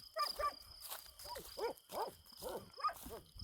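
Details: Kangal dogs guarding a farm at night during an attack, barking in rapid arched bursts, about fifty a minute, fairly distant, with a steady faint hum behind.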